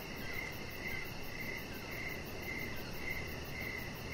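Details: Evening crickets near a deck where a chihuahua puppy rests under decoration lights; clear high chirps, each brief, recurring roughly every half second, with a fine fast buzz above and low rumble beneath.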